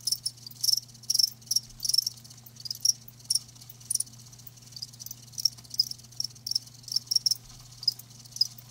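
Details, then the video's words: Chirping from live crickets: bright, high-pitched pulses arriving irregularly, some in quick pairs and others spaced out by a second or more, with a soft continuous low hum in the background. "Live Crickets 60min "Natural Sound" ASMR"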